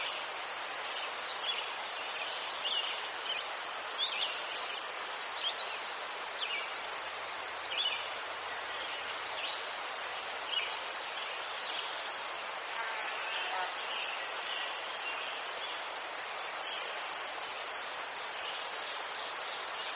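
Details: Crickets in Ukraine trill steadily in a high, pulsing chorus with faint chirps scattered underneath.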